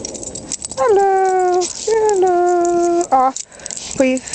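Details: Dog out on a group walk, described as happy, giving two long, steady, drawn-out whines of about a second each, then a short yelp and a brief rising cry, while a person chats and calls out nearby.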